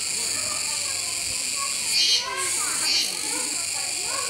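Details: A constant high buzzing of Kuroiwa cicadas at Neo Park Okinawa, 16 October 2021, near a capybara that keeps eating. Two louder pulses rise about a second apart. Quiet voices and rustling sit below.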